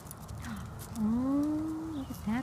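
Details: A black one-year-old Miniature Schnauzer watches a squirrel up close for the first time and lets out a long, low, tonal whine that rises slightly and holds for about a second, then a short second whine; faint outdoor background.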